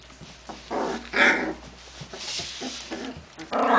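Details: Genny's puppies recorded on 14 June 2013, yapping in short high bursts with rough growly noises between them, indoors, loud yelps near the end.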